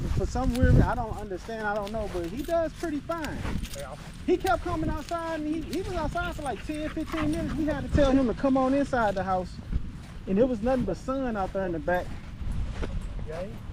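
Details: Male Staffordshire Bull Terriers gathered at a park on a long evening, trading wavering, warbling howl-like whines in dense overlapping bursts that rise and fall throughout, with low rumbling background noise.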